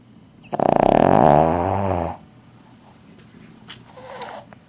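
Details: Loud, rattling snore from a sleeping female Cavalier King Charles Spaniel whose tail wags while she sleeps. One long, buzzy inhalation of under two seconds, then a fainter, wheezy second breath.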